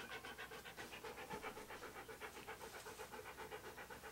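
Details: Fast, even panting from Key, a Siberian Husky posing for a photoshoot, breathy huffs repeating about four times per second throughout, without pauses.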